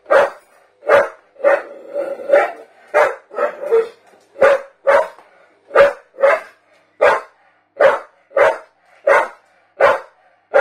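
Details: A Staffordshire bull terrier barks at a canister in a steady run of roughly sixteen punchy barks across ten seconds, each bark short and forceful, sometimes doubled in quick pairs.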